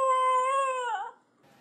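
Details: A dog holds one even, sustained howling note for about a second before it wavers and drops away into quiet.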